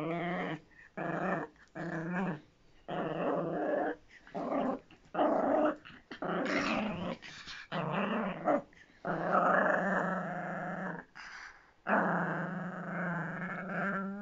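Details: Miniature Pinscher growling indoors in a small room, a rough harmonic snarl in bursts of one to two seconds separated by short breaths, rising and falling in intensity, with no other clear sounds.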